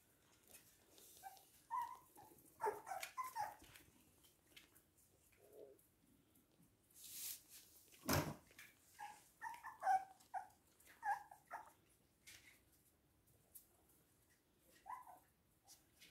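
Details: Toy and miniature poodles indoors in Hahnstätten on 19 February 2022; high, tonal whimpering yelps in short clustered bursts across the recording, with faint rustling and a sharp knock midway.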